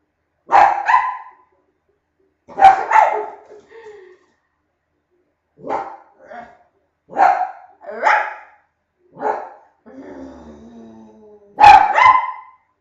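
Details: Barking contest with a dog giving short, sharp barks in uneven pairs and singles spaced a second or two apart, and a faint drawn-out whine in between.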